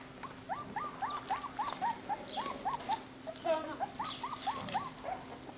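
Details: Litter of nine-week-old home-bred Jackateese puppies, Jack Russell crossed with Maltese, in the UK. They give rapid runs of short squeaky whimpers, each rising then falling, about three per second, with a steady background hum.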